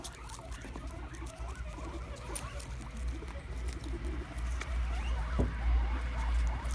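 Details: Guinea pigs gathered around a plate of sprouts on the ground, squealing with excitement as they munch. Faint, wavering squeaks are partly buried under a heavy low rumble and rustling chewing noise.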